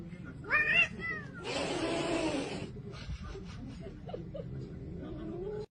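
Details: A pet cat gives a short rising meow, followed by a burst of broadband noise, faint speech and music-like sounds in a household setting.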